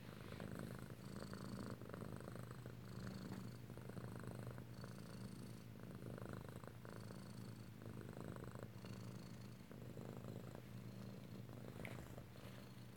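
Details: Kitten purring in close-up at home in Alabama, recorded 7 February 2018; a low, steady rumbling purr that swells and eases in regular cycles roughly every second, running continuously through the whole stretch with no talking over it.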